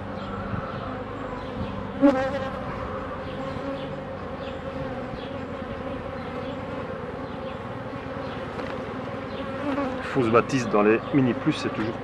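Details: Honey bees hum steadily while a beekeeper works the hives, a dense droning buzz with layered low tones throughout; near the end, bursts of a man's voice and handling noises rise above the hum.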